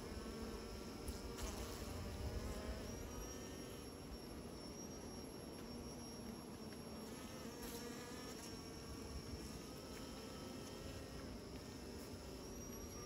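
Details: A swarm of bees making new nests hums in a rich, unbroken drone, with a thin high whine sliding in and out above the buzz partway through.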